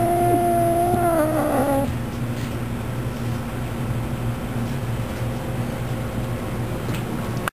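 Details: Pet cat angered as a green bean is taken away from it, letting out a drawn, wavering moaning yowl that bends downward and breaks off after nearly two seconds, followed by a steady low background hum.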